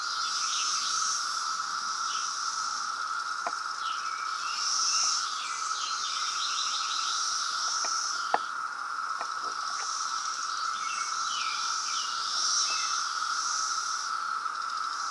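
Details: Emergence chorus of a loud 2017 periodical cicada brood in Reston, Virginia: an unwavering, insistent buzzing tone with birds chirping high above and a few scattered clicks and taps.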